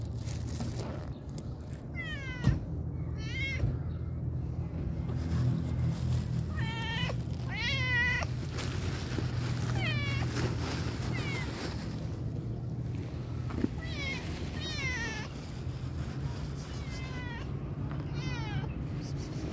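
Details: A pregnant tabby cat gives a run of short, bending meows every second or two, some doubled or wavering, over a steady low hum.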